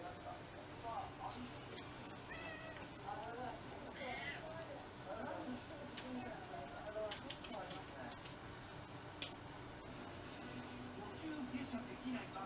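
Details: Domestic cats in a household of six mixed-breed pets, at a special Cat Day dinner in February 2023; several short rising-falling meows blend with people talking indoors.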